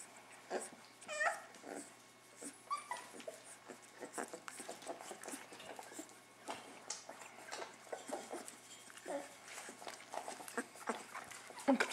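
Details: Several weeks-old puppies of an unexpected litter fussing in a small room, giving brief squeaky whimpers and a quick run of rising yelps early on, then scattered soft squeals over shuffling noises.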